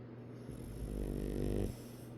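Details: Sleeping pug snoring: one low, rumbling snore that swells for about a second and then fades, over a steady low indoor hum.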